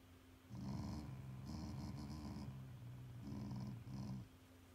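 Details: Family pet Shiba Inu growling out of affection rather than anger, in two main bursts of low, buzzy, rattling grumbles with short pauses between, the second burst split into two shorter pieces.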